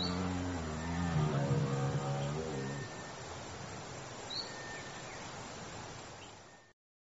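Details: African elephant (Loxodonta africana) giving a low, harmonic-rich rumbling call for nearly three seconds, wavering slightly in pitch, followed by quieter outdoor background noise with a brief high squeak.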